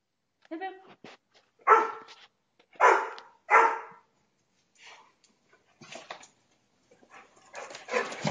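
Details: Dog in a temper giving three strong, rasping barks in quick succession after a short yelp, followed by softer huffs and a rising rustle at the close.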